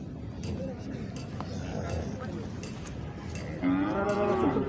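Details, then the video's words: Khillar cattle at the Pandharpur Kartiki Vari cattle market, where young khond bulls are traded; a loud harmonic moo rises near the end, after a noisy stretch of crowd chatter and weaker distant lowing. "खिल्लार खोंड बाजार"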